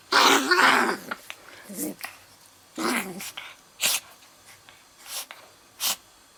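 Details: Pet dog that cannot really growl making odd noises instead: a rough, throaty grumbling burst over the first second, followed by shorter snorting, sneeze-like puffs roughly once a second, indoors and quiet otherwise.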